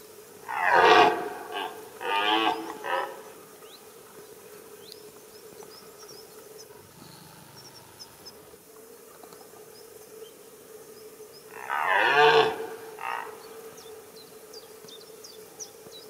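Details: Red deer stag roaring on a rutting ground during the rut, another bull calling nearby: hoarse, harmonic-rich roars, two close together at the start and a third about ten seconds later, over a steady faint hum.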